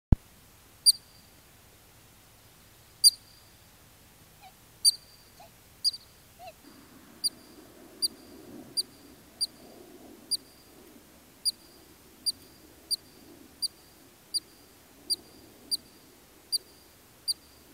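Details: Columbian ground squirrel in Kananaskis Country, Alberta, Canada, giving sharp high chirps, sparse at first, then a steady series about every half second to second; a low rumbling background joins midway.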